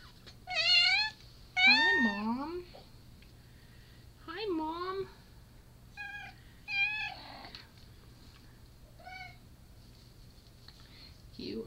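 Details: Indoors, a Japanese Bobtail mother and her silver tabby and white kitten born 7/4/13 give repeated meows: shrill rising-falling cries alongside lower, drawn-out wavering mews, some short and clipped, with a quiet background hum.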